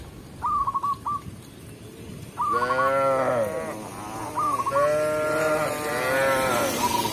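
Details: Shepherd guiding tame cows into a village pen: after short high piping notes, several mid-pitched moos rise and fall in overlapping succession, some long and wavering, with the piping recurring between them.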